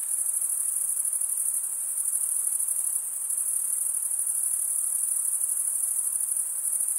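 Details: A constant shrill cricket chorus produced by males rubbing their wings together: a bright high trill, finely pulsed, holding the same level throughout apart from a brief dip near the middle.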